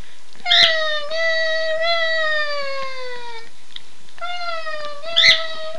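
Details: Two pet dogs howl together whenever their owner says "Run Guy run"; a long wavering tone gradually drops in pitch over about three seconds, pauses, then another howl starts, with sharp higher yips at both ends.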